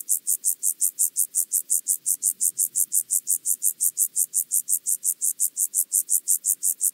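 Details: Chorthippus vagans, the penumbra grasshopper, recorded through a Pettersson D 100 ultrasound detector at Mörnsheim, Germany, 14 July 2023; loud, regular series of sharp high scratchy syllables repeated rapidly without pause, very even rhythm.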